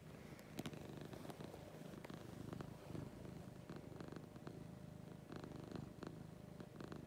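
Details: Morning purring from Lucy, a sweet pet cat, a continuous low throbbing rumble that swells and eases with each breath, broken by faint rustling clicks.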